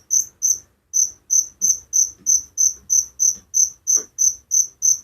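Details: Night-time cricket in a village, giving sharp high trilled chirps in a steady series of roughly three per second after a brief pause at the start, with one soft click partway through.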